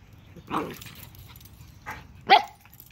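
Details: A reserved older Chihuahua named Sqweencla, adopted from Animal Services, turns playful with a puppy at home; three short yipping barks, the last the loudest and highest, over a quiet room background.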